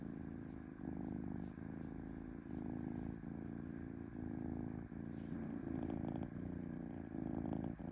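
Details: Domestic cat purring smoothly, a continuous low buzzy rumble broken by short breaks roughly every second as the breathing cycle turns over.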